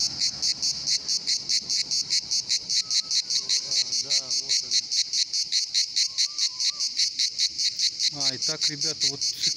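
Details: Chorus of many cicadas singing in summer at the Pitsunda resort, Abkhazia: a dense, rasping buzz pulsing a little over twice per second, with faint bird chirps and squeaky whistles underneath.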